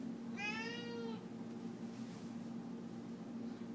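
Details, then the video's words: Pet cat meowing indoors while chicken is being cooked, wanting the chicken: one drawn-out harmonic meow about a second long, rising then falling, over steady kitchen hum. "Cat Really Wants Chicken"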